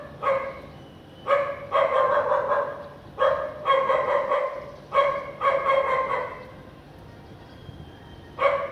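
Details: House dog in Vientiane, Laos, on a sunny afternoon with little clouds, 15 April 2021, barking in bursts of several quick harmonic barks separated by short pauses, with a faint thin whistle-like tone in the background.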